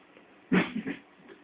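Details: Shih Tzu snoring in its sleep, one rough snorting breath lasting about half a second, followed by two softer, fading rasps against a quiet background.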